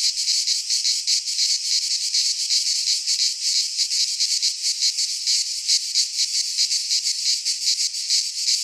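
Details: Cicadas singing in a Greek pine forest in midsummer: a dense, continuous high buzzing chorus with fast rhythmic pulsing throughout, no other sounds.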